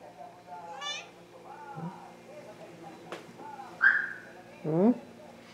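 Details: Thai cat named Rommel, hungry, recorded indoors at 2:15 AM on 30 August 2017; a few loud, rising, harmonic meows, the last two close together near the end, with a person speaking Spanish softly and offering a cookie.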